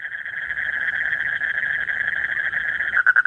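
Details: In breeding season, late at night, a male Asian common toad keeps calling to bring a mate close: a smooth, sustained buzzing trill, breaking into a few distinct loud pulses near the end.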